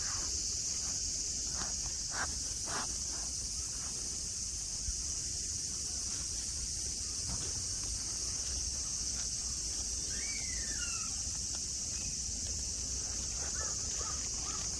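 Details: At Nara Park in Japan, among green mountains, grass and tame deer, cicadas keep up an even, shrill hissing wall of sound; several sharp clicks early on and a bird's quick descending whistle near the end cut through.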